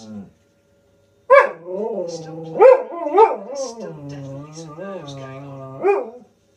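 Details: Malamute husky cross dog answering wolves howling on television; after a short pause, a series of yowling, talking vocalisations with sharp accented onsets at about 1.3, 2.7, 3.2 and 6 seconds, linked by lower wavering moans.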